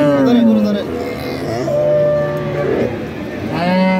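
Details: Cattle and calves at a livestock market in Bangladesh, several low drawn-out moos with harmonic bands, the first falling, others level, overlapping with crowd noise and people talking.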